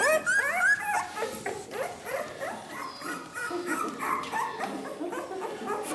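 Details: Ten-day-old Ca de Bou puppies from the litter of Ivi and Tito crowd together whimpering: a dense chorus of high, wavering whines and squeaks, many rising then falling, overlapping continuously with brief louder yelps near the start.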